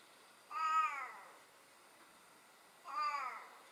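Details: Domestic cat with a hachiware (split-face bicolour) coat, described as very vocal, gives two harmonic meows about two seconds apart, each rising slightly then falling away; quiet indoor background.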